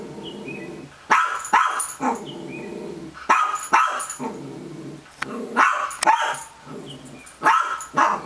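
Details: Dog barking at an empty chipmunk trap, where a chipmunk was caught the week before: loud, sharp barks, often in quick pairs, about nine in eight seconds, with short pauses between the bursts.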